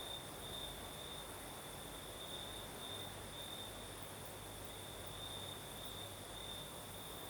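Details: Crimean crickets trilling through the night: an unbroken high, ringing tone with gentle pulsing, backed by a soft wash of night-breeze noise and a low faint rumble.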